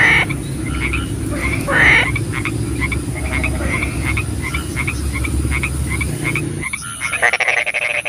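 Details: Rainy night with frogs calling: a dense chorus of short croaks and a few louder nasal calls early, over heavy low rain rumble that cuts out near the end, leaving rattling calls.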